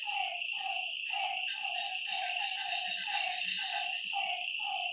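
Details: Night chorus by a lake: one frog repeats short harmonic, falling calls about twice each second against a constant high-pitched buzz of insects.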